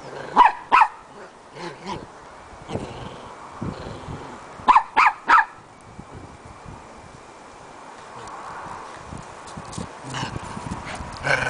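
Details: Two playful Shetland Sheepdogs give sharp barks in short bursts, a pair at the start and a rapid run of three near the middle, with growling and scuffling between them.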